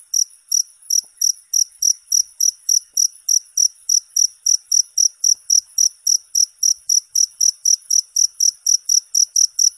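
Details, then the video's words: Cricket chirping steadily: short, high, ringing pulses repeated about three times a second in an even, unbroken rhythm, with no other sounds. "Suara Jangkrik 10 Jam Non Stop"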